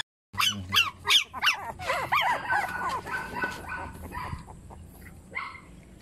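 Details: Puppies yelping and squeaking in a rapid burst of high, rising-falling cries in the first seconds, then softer overlapping whimpers and squeaks fading toward the end.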